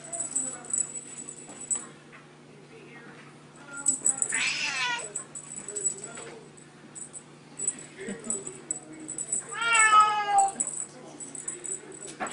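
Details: Bengal kittens playing with a teaser, collars on, mother cat present: two loud, harmonic, downward-sliding meows about five seconds apart, with high tinkling jingles and soft human talk between.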